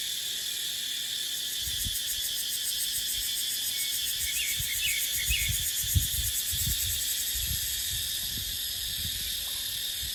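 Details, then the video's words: In dry-season dipterocarp woodland, cicadas keep up a continuous piercing, metallic drone. Repeated low gusts of wind thud underneath the whole time, and a short run of soft bird chirps sounds midway. "เสียงจั๊กจั่น สายลม ในป่าเต็งรังยามหน้าแล้ง"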